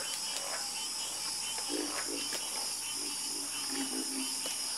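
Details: Frogs in chorus give brief, low, knocking croaks that cluster toward the end. A constant shrill, buzzing drone runs throughout behind them.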